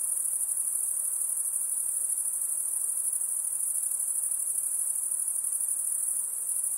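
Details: Insects producing a steady, very high-pitched continuous buzzing trill with no breaks, a dense shimmering tone over faint low background hiss.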